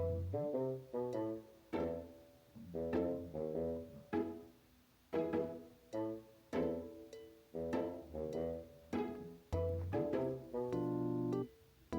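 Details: Plucked cello and double bass music in short bouncing phrases, with no animal sound.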